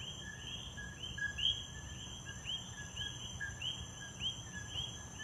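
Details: Coquís in Puerto Rico chorus with their two-note "co-kee" calls, a short low note followed by a higher rising whistle.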